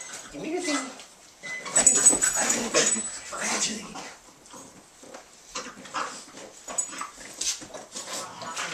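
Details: Two Boston Terriers play tug and wrestle a toy alligator, one of them on her third birthday. They give rough, breathy growls and snorting huffs in short, uneven bursts.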